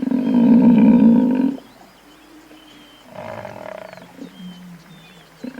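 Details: Buffalo lets out a single loud, low moan of about one and a half seconds. Quieter, softer lowing and faint rumbles follow, with a thin high whistle in the background.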